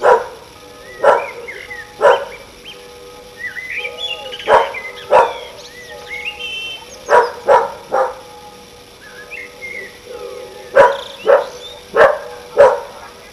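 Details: A neighbour's dog barks on a summer evening, a dog that barks at everything. Loud, abrupt barks come about a dozen times, singly and in pairs, at irregular intervals. Sweet whistled birdsong and cooing carry on between them.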